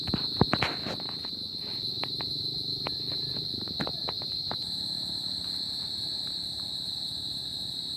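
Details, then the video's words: Crickets on a summer night give a steady high, shrill trill that runs without a break, while sharp clicks and taps crowd the first few seconds before fading out. "Cricket Sound At Summer Night"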